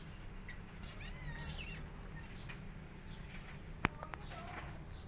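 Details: Domestic cat family: five kittens pressing their mother to feed them while she is upset; a few thin, high, wavering mews around the second second, then a sharp click and a couple of soft taps over a steady low background hum.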